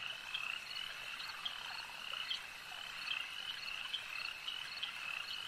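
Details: Frogs calling at a lake: a dense, steady chorus of high trilling croaks, with brighter individual notes popping out every half second or so over the continuous shimmer.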